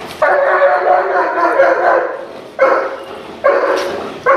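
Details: Dog in protection training, barking loudly and harshly: one long sustained bark of about two seconds, then two shorter forceful bursts, each starting abruptly and fading, with faint background noise.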